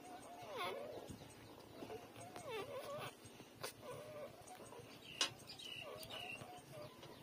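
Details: Newborn puppies, three days old, suckling at their mother, letting out scattered looping squeaks and short wavering whines, a few seconds apart, amid soft rustling and clicks.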